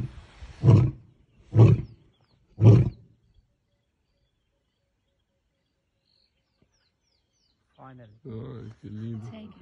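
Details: A male lion in Africa, about 10 metres from a safari vehicle, gives three deep, booming roar-grunts about a second apart, followed by people talking quietly.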